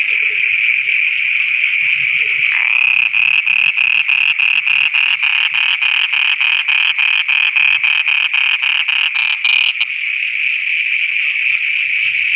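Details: At night in Pakistan frogs call in chorus: a constant shrill drone with a long run of rapid, even clicking pulses lasting about seven seconds, soft low croaks beneath.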